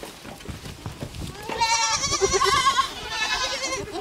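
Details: A goat, possibly a baby goat, gives one long, quavering bleat with a shaky, vibrato-like tone.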